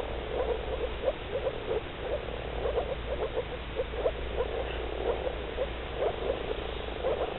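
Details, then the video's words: A chorus of male moor frogs in blue breeding coloration gives mating calls, soft, hollow, bubbling notes like air escaping from a bottle underwater. "Rana arvalis. Moor Frog. Żaba moczarowa."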